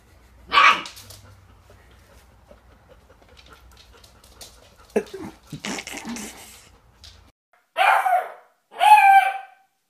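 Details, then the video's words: Young dog from a puppy barking compilation: one sharp bark early, scattered soft noises and faint voices, then two high, whiny yipping barks close together at the end. "Puppies Barking - A Cute Dogs Barking Videos Compilation"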